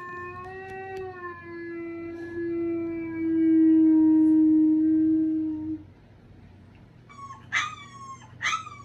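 A Boston Terrier gives a long, steady, slightly falling howl, then two short high yips.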